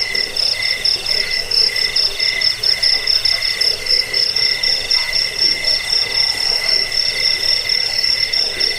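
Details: Cricket chirping used to repel rats, aid sleep and train birds, heard as rapid, shimmering pulses stacked in two high bands, an unbroken buzzy chorus throughout.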